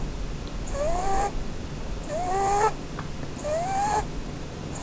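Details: Snoring from Blueberry, a sleeping female Holland Lop rabbit under a Christmas tree: three rising whistled notes, each slurring upward and carried on a breathy hiss, spaced roughly a second and a half apart.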